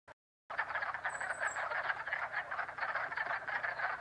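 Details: Frogs calling from a pond in Jackson, New York, in springtime: a dense chorus of rapid, rattling croaks overlapping continuously, with a brief high bird chirp partway through after a short silent start.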